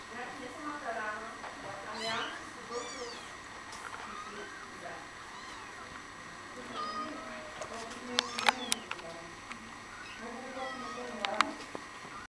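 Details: A mother cat calling with a series of short, wavering meows that rise and fall, some overlapping, set against steady background hiss with a few sharp clicks and knocks.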